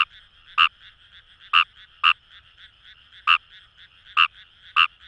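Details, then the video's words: In rice paddies of Itoshima, Fukuoka, a Fejervarya kawamurai gives sharp, brief croaks at irregular intervals, roughly six in five seconds, against a continuous background chorus of more frogs. "Wild Frog Call | ヌマガエル"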